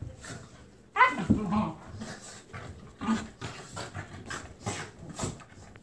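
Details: Two terriers, Captain Jack and Scarlett, play tug-of-war over a toy duck that turns into a wrestling match; a sharp whiny yelp opens, followed by rough low growling bursts, panting and scuffling noises.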